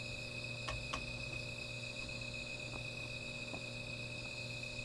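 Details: Insects trilling through the night near a small fire, one unbroken high-pitched ring over a low hum, broken by a few sharp crackling pops from the fire.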